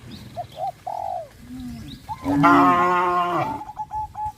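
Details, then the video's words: Cows in a herd heading out to the grazing field under a hot sun: a loud, rich moo lasting about a second follows softer, scattered calls, with short repeated notes trailing afterward. "A herd of cows walks towards the grazing field under the hot sun,sound of cows"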